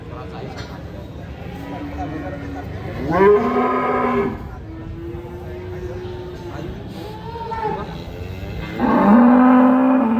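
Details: A cow gives loud, drawn-out, strange moos likened to an elephant crying, with a strained, wailing edge, repeated several times.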